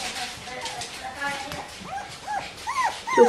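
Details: Bichon Frisé puppies of the V litter whimpering: thin arched whines that rise and fall, sparse at first, then bunching into louder, higher squeals over the final second, over a soft background murmur of human voices.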